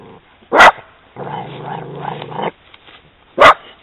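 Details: Italian Greyhound on a walk reacting to seeing a horse: two sharp loud barks a few seconds apart with a long low growl between them.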